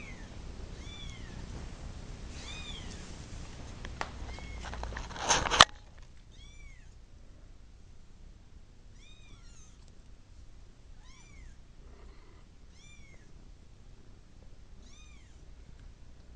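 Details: Kitten wanting to go to its mother gives a run of short, arched, high meows, each rising then falling, repeated roughly every second; a burst of broad noise and rustling masks the first five seconds, then meows continue over quiet background.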